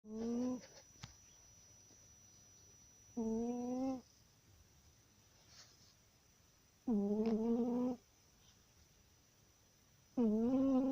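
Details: Pet cat sleeping soundly and snoring at home; four evenly pitched, droning harmonic snores, each about a second long, repeated roughly every three seconds, with quiet background between breaths.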